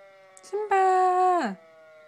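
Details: Schnauzer singing with a fire siren indoors, giving one steady harmonic-rich howl that holds level for under a second before sliding sharply down at the end.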